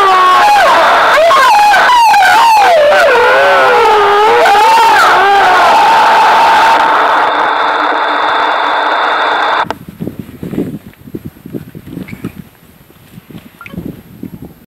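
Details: Wolf howls answering a sound stimulus during the 2013 wolf-howling census in the Foreste Casentinesi national park: overlapping gliding howls for about six seconds, then a steady tone and faint rustling noise.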